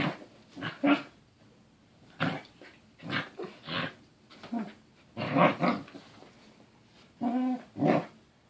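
A Corgi makes throaty, growly grumbles in short bursts while playing, in a small room.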